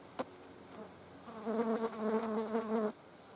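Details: Several green bottle flies on a dead mouse, feeding; after a faint click, one steady, full-toned buzz hums for about a second and a half, wavering slightly in loudness before cutting off abruptly.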